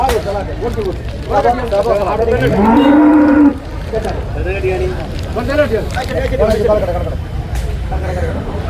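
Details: Domestic water buffalo calves at the busy Manjeri livestock market in Kerala, India. One gives a long, drawn-out rising moo in the middle of the recording. Men talk throughout, and other bellows and crowd noise are heard in the background.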